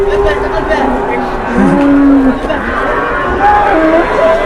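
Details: Cattle, one of two pranked cows, letting out a short, level moo of under a second amid constant crowd chatter, voices and faint tonal background sounds.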